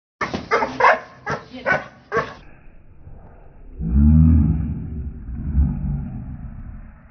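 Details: Two Doberman Pinschers, Mr Dave and Ms Hellen, doing bite work: five sharp, deep barks in quick succession over about two seconds, followed by a low, rumbling sound that swells and fades.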